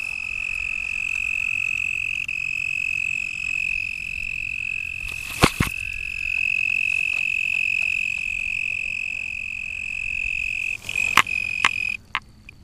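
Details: Toads calling after dark by the lake at Lake Worth, Texas, on 24 April 2010, with an American Toad nearby and a Fowler Toad farther off: a long, steady, high musical trill held for about eleven seconds, broken by a few sharp clicks and handling sounds.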